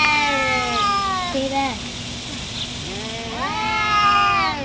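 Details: Two cats, one black, fighting and making weird, funny noises: long wavering caterwauls with rich harmonics that slide down, then a rising-and-falling yowl near the end, with steady background hiss.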